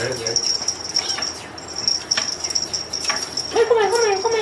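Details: A two-month-old silver short-legged Scottish Fold kitten gives one short, thin meow near the end, wavering then falling slightly, over a steady high electrical whine and faint room noise.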